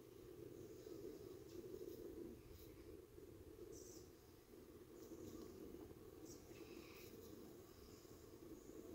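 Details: Continuous droning buzz from a honey bee colony's entrance, recorded 5:15 pm, 45 minutes after a robbing event; the hum swells and dips slightly, with short high bird notes in the background.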